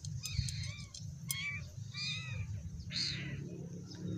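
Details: Scared, hungry cat giving a run of short, high, arching meows, about five cries in four seconds, some rising then falling, over a steady low rumble.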